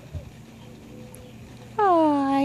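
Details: Junior, a male cat who loves spending the morning rolling in fresh dirt, gives one drawn-out, falling meow near the end after a quiet stretch with faint background murmur.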